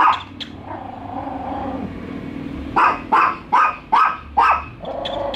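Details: Two pet dogs barking at a toy dog during their first meeting: a quick run of five sharp, loud barks about half a second apart, preceded by softer whining, tonal sounds.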